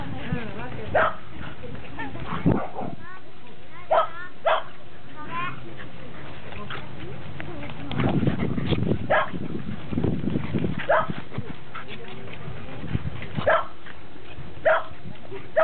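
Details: A Cairn Terrier, recorded on 29 October 2006, gives sharp, yappy barks at irregular intervals while people talk nearby.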